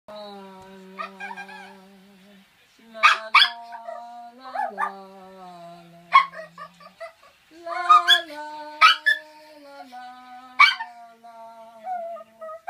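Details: A toy poodle sings along with its owner, giving short, high, yelping bursts and brief whines over a person's steady, low, sustained sung tone that shifts pitch in steps.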